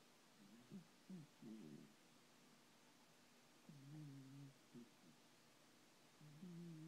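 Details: Sleeping Thomas the cat, dreaming, gives quiet low snores: short rumbling puffs early on, then longer drawn-out breaths at intervals of about two seconds in a still room.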